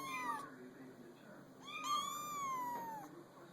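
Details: Kittens placed on a small pool table: two drawn-out, tonal meows, the first brief and the second long, holding steady before slowly falling in pitch, in a quiet indoor room.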